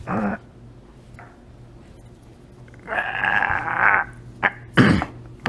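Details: Bailey, a female Beagle puppy, freaking out the first time she tries a cucumber: short harsh yelping bursts at the start and near the end, with a longer drawn whining cry in the middle and a person speaking.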